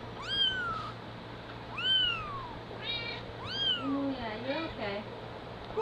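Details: Mama cat carrying her kitten back: three bright, rising-then-falling mews about one and a half seconds apart, followed by a person talking softly over a low hum.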